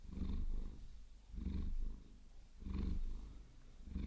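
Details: Purring Maine Coon, Vasilisa, under a long-nail massage: deep vibrating rumble pulsing in three slow breath cycles, quiet pauses between swells, light rustle of nails on fur.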